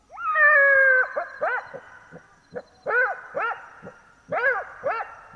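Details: A black-backed jackal (Canis mesomelas) gives a drawn-out wailing howl at night in Botswana, then a run of short, arching yelps.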